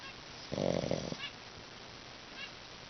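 A sleeping Pekingese gives one rough, nasal snore, a honking rasp that lasts about half a second.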